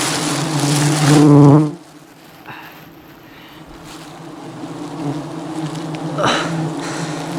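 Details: Thousands of angry honey bees swarm and attack a honey hunter during wild honey harvesting high above the jungle; a loud, steady low droning buzz for under two seconds, then fades to a faint hum.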